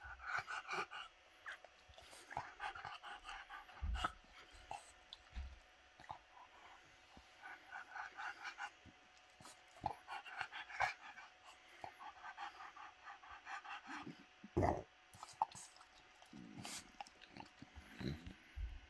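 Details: Bob the French Bulldog pants steadily while playing with a toy dinosaur hand puppet, a rapid breathy rhythm broken by a few low snorts and thumps.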